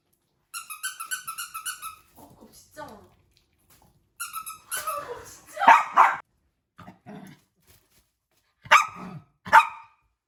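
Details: Pulsing harmonic vocal runs open and recur, then a burst of two loud barks. After a gap come two more sharp barks near the end, from puppies puzzled by an invisible wall inside a small room, with people speaking.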